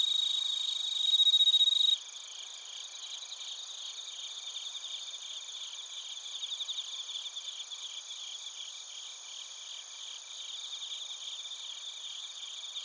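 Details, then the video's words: Crickets, including bell crickets, recorded in Narita, Chiba, Japan with a TASCAM Portacapture X8. A loud, clear ringing note opens for two seconds, then a fainter, continuous high-pitched chorus of rapid pulsed chirps follows. "スズムシとコオロギの鳴き声 - Chirping of crickets"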